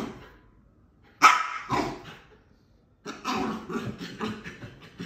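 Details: A female Bull Terrier puppy, after burying her toy in the couch and trying to dig it back up, gives two sharp, high yips, followed by a run of quick scratchy rustling.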